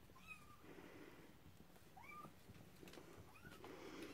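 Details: Cornish rex and Scottish fold kittens on their first time out. Three short, thin mews rise and then fall, each about 1.5 seconds apart, over a soft low rumble in the background.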